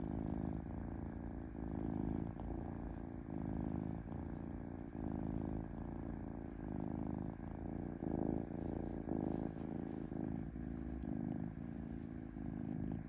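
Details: Close, even purring from a domestic cat, a dense low vibration with clear overtones that strengthens and fades in regular breath cycles throughout.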